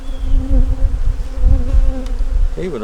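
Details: A short burst of steady humming from a wintering honey bee nuc opened for inspection, an even low drone with a faint wavering tone, ending as a human voice begins.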